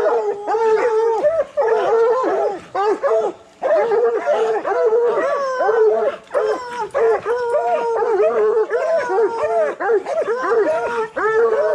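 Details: Coonhounds, bluetick and black and tan types, in training for raccoon hunting. They give repeated bawling howls, each a sliding, quavering tone. Several voices overlap in rolling bouts with short pauses between.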